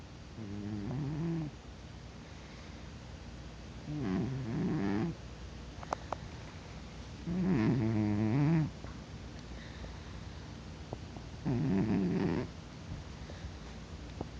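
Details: Cat snoring in deep sleep and not waking despite being poked; low rasping snores of about a second each, repeating every three to four seconds and growing louder, over steady indoor background noise.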